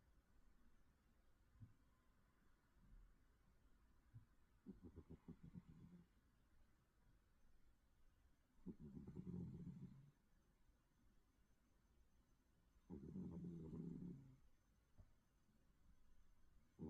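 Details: A cat asleep and snoring, its slow breaths building into two loud, buzzy low snores about four seconds apart, with fainter rasping breaths between them.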